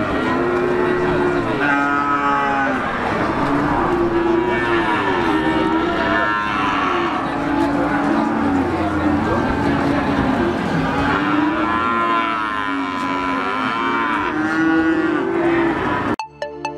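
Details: Crowded animal market in Gunung Kidul, Yogyakarta, open mornings to early afternoon: numerous cattle, among them young PO Java stock, lowing repeatedly in long, undulating moos that overlap one another, backed by steady human voices and bustle.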